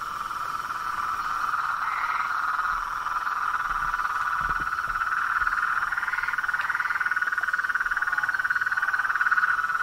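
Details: A frog and toad chorus in nature: unbroken overlapping trills forming a steady drone, with a few higher rising notes standing out.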